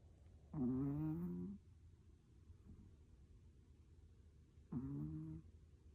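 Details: Dog snoring while asleep: two short, throaty snores about four seconds apart, each lasting roughly a second with a faint rumbling tone, over a quiet low hum.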